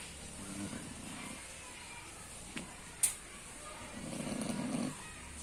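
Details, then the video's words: Snoring pig giving two rough, low rasping breaths, the second longer, with a couple of sharp clicks in the quiet gap between them. "Snoring Pig"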